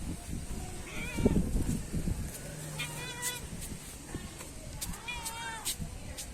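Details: A pet kitten at home meows repeatedly, several short rising-falling mewing cries spaced about a second or two apart, while a person coaxes it in Tamil, urging it to climb up.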